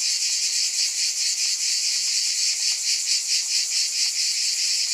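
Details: Buzzing cicadas form an unbroken high-pitched sizzle that throbs roughly twice per second. The pulsing grows slightly stronger toward the middle, with no other clear sounds.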